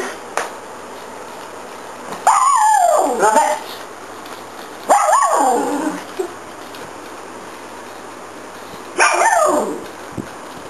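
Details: During a game with a zigzag ball, a dog lets out three loud, drawn-out barking yelps, each sliding downward in pitch and spaced roughly three seconds apart, over a steady indoor hum.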